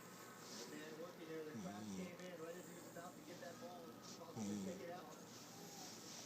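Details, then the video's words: Stanley, a pet puggle, snoring while asleep: two drawn-out, low, buzzy tonal breaths about three seconds apart, with quieter breathing between them. "My dog snoring"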